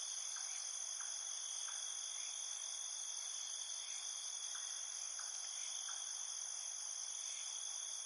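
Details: Crickets at night keep up a continuous, piercing multi-layered trill, while soft brief lower chirps recur roughly every half second to second across the recording.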